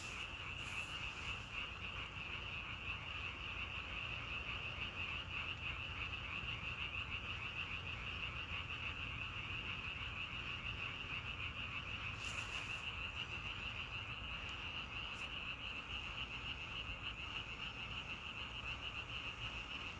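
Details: Many frogs croaking together outdoors: an unbroken, evenly pulsing high trill lasting the whole stretch, with two brief bursts of broadband noise, one early and one midway, and soft low background hum.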